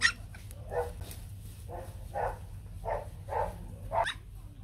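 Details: A litter of white Bac Ha pups, Vietnam's fluffy native breed, crying out as they look for their mother: six separate mid-pitched yelps spaced roughly half a second to a second apart, over low background hum.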